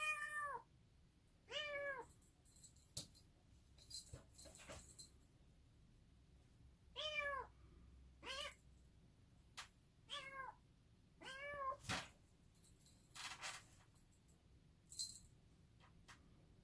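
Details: Bengal kitten, a yellow male born on New Year's Day 2019, meowing repeatedly: about eight short arched mews, each rising and dropping in pitch, mixed with clicks and light tapping indoors.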